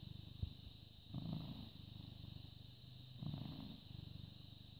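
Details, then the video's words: Purring British Shorthair cat born 18.08.2010, recorded 14 May 2017 at 09:16 in the morning; low throbbing purr with two louder swells separated by quieter stretches, constant faint high hiss behind. "British Shorthair Cat purring"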